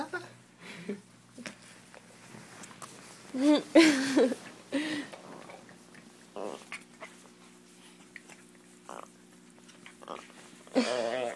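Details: Indoor pet Chihuahua, jealous as a Doberman is given attention, lets out scattered brief whines and yips, a louder wavering cry around the middle and another at the end, with long quiet gaps.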